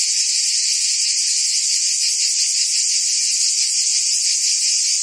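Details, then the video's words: Brief stretch of cicada buzzing in forest trees, an intense high-pitched continuous whine with light rapid pulsing and a steady loudness. "Ambient Cicada Sounds"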